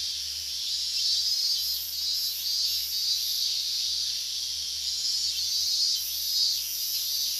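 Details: Higurashi cicadas in an August 2011 summer chorus near the boundary of Minamisoma's restricted zone, Fukushima, at remarkable volume. A continuous, high, sizzling buzz rises and falls gently, overlaid by intermittent pulsed bursts at a higher pitch.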